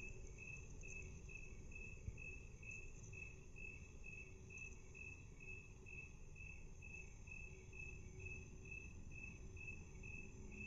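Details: Cricket chirping, played back at half speed: a steady train of short, evenly spaced high pulses, about two per second, over a constant low rumble.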